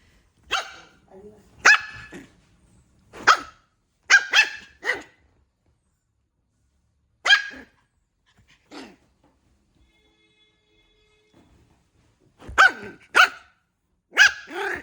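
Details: Puppy yapping in short, sharp barks, singly and in quick pairs, with a few seconds of silence mid-way before another cluster of rapid yaps.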